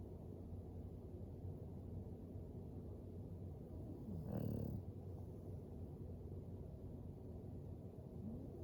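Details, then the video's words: English Bulldog Floyd snoring while he sleeps by the fire: a quiet low drone with one louder, rasping snore in the middle of the stretch. "Four minutes of a dog snoring by a fire"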